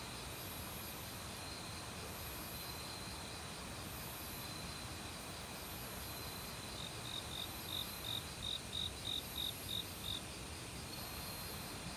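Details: In an autumn forest by a stream, a cricket breaks into a burst of about ten sharp, high chirps in the last seconds, each a brief bright pulse, over a steady loud rush of running water.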